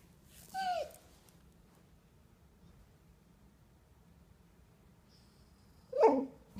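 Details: Border Collie enjoying being scratched and protesting when the scratching stops: a short bent whining moan near the start, a long quiet gap with faint room hum, then a louder grumbling vocal burst at the end.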